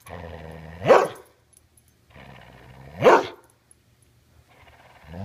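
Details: Border Collie staying with its owner's relatives, refusing to give its ball back and talking: low rumbling grumbles that swell into a rising yowl-like bark, twice about two seconds apart, with a woman's voice asking for the ball.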